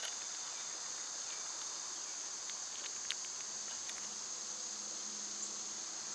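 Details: Cicadas during summer make an unbroken high, sizzling buzz at a steady level. One crisp tick stands out near the middle, and a faint low hum runs underneath.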